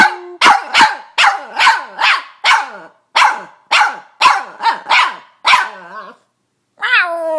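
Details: Pet Boston Terrier, a female, barking and squealing: a quick series of about a dozen sharp, evenly spaced barks with falling tails, a short pause, then a rising, strained squeal.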